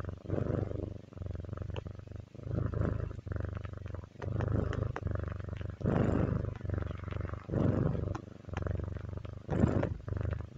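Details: House cat purring contentedly, a deep vibrating drone rising and falling with each breath in slightly uneven bursts about a second apart, plus a few louder rustly moments.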